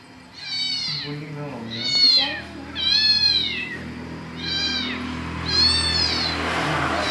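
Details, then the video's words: Domestic cat, said to like playing at a mosque, giving five clear drawn-out meows about one every second and a half, each high and slightly arched, with a person talking softly underneath. "Kucing Meong Meong"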